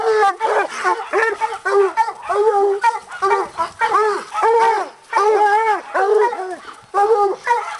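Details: Bluetick and walker hounds baying at a caged coon in a hanging cage, giving a steady run of short arched chop barks, roughly two a second, two voices overlapping.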